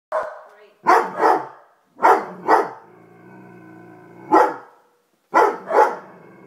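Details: Mocha, a Lab/Weimaraner mix, barks in sharp doubled bursts with a low rumbling growl between them at a Call of Duty poster just hung on a wall, while Peanut, a Corgi, barks along; a dog barks.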